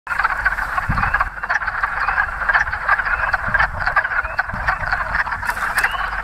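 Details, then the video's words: Wood frogs, the first frogs to breed in spring, calling at a pond in central Pennsylvania; a dense chorus of overlapping quacking croaks, rough and clucking, continuous throughout with no other clear sounds. "frog in spring to breed you can hear in the background the quacking noise which is the wood frogs"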